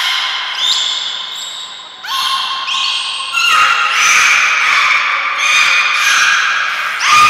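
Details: Belugas Hodoi, Gray, Nana and Niko during a training session at Port of Nagoya Public Aquarium, Japan, on 5 June 2021. They make squeaky, rising chirps rich in overtones, repeated in quick irregular bursts, with a hall-like echo.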